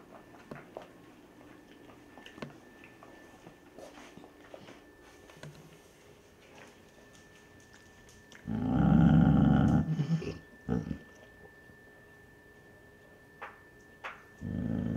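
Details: Basset Hound mother guarding her pups from an older male dog indoors; quiet shuffling, then a loud low rumbling growl lasting about a second and a half, a short snarl after, and another growl starting at the end.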